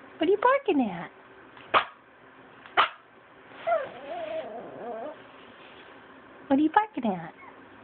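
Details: Indoor pet Pomeranian giving high, rising-and-falling yappy barks in quick bursts at the start and end, with a woman's voice talking in the middle section.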